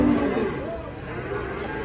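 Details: Pegon cattle, one of two giant animals said to weigh nearly one ton each, arriving: a short, low, harmonic moo opens the moment, then fades under men's voices and background crowd chatter.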